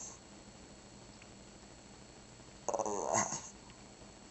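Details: Shih Tzu indoors making a 'talking' vocalization meant to sound like 'grandma': one pulsed, growly burst under a second long that bends up and down in tone, after a long quiet stretch.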